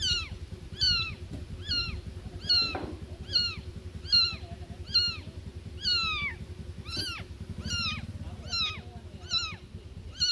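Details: Newborn kittens calling loudly for their mother cat, steady series of high falling mews about once per second over a low continuous hum, with a brief faint rustle midway.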